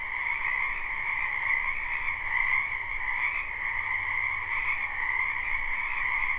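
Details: Live spring recording from a wetland full of frogs: a thick chorus of rapid, ringing croaks running without pause, the trilling rising slightly in strength midway, over a soft low background hum.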